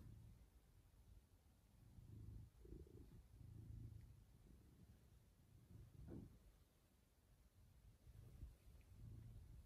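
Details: Domestic cat indoors purring, a low continuous rumbling throb rising and falling in loudness, with a brief higher sound near six seconds and faint steady hiss.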